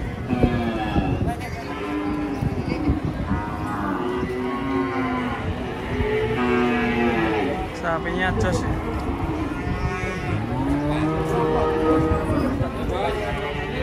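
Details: Cattle being loaded onto a truck, repeated overlapping moos from several animals, arched lowing calls rising and falling, with people talking and clanking in the background.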